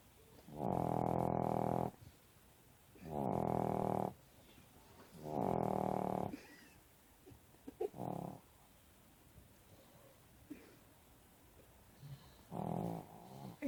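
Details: Sleeping Pekingese under covers gives three long, even, rasping snores about every two and a half seconds, then softer, shorter breaths follow after a quiet gap.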